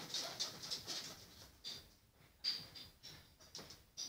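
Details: Guinea pigs dash around their indoor cage, giving short, high, thin squeaks in quick, uneven bursts.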